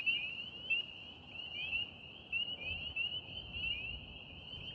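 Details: Spring peepers calling on a beautiful, warm April evening in Central New York State, alongside wood frogs: a dense chorus of high, short, upslurred peeps overlapping continuously, with a soft low rumble beneath.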